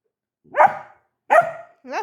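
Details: Labrador puppy letting out two separate, bright barks nearly a second apart, followed by the start of a person speaking.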